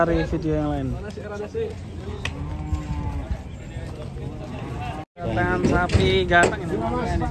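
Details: Cattle lowing during loading onto a truck that tipped over; a deep, drawn-out moo with a steady low tone runs beneath loud, excited human voices, with a brief break in the sound just after five seconds.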